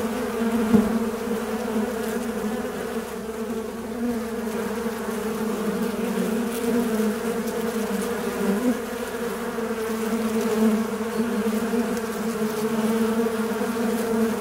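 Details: A fly buzzing in a steady, continuous low drone with a rich, even hum that barely changes in pitch or loudness throughout, with no other sounds.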